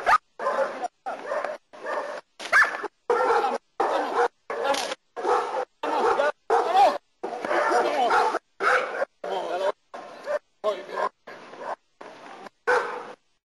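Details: German Shepherd named Nero barking during protection work in Costa Rica: harsh, rapid barks in short bursts, about one and a half per second, separated by brief silences, with a person's voice mixed among them.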